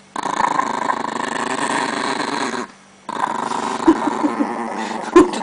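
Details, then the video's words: Chihuahua in Russia growling while protecting its pancakes indoors; a steady rough rumbling growl runs for about two and a half seconds, breaks off briefly, then resumes with a few sharper snarling bursts near the end. "Terrible chihuahua protects pancakes!"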